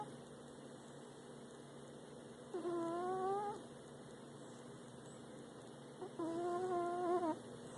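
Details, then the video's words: Snoring cat: two drawn-out, tonal, whistle-like breaths, each about a second long and roughly three and a half seconds apart, over a quiet indoor hush. "Cute Cat Snores"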